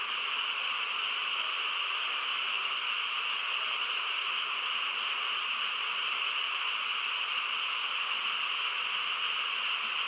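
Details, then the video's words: Frogs calling together on a calm rural night, blended into one sustained buzzing chorus that stays level and unbroken, with no other clear sounds. "고요한 시골 밤에 개구리 합창 소리"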